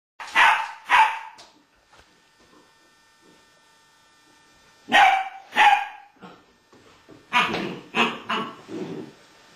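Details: American Staffordshire Terrier barking: two sharp barks, a pause of about three seconds, two more barks, then a quicker run of four or five rougher barks near the end, with a faint steady hum between bursts.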